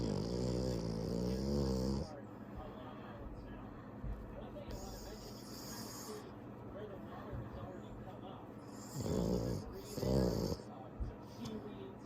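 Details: French Bulldog (Canis lupus familiaris), snoring.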